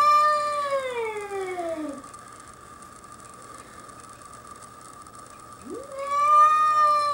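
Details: Domestic cat facing a curious young bobcat that wandered onto the deck at Cedar Springs Bed and Breakfast, Whistler: a long falling harmonic wail, a pause, then a rising yowl that levels off, over a steady background hum.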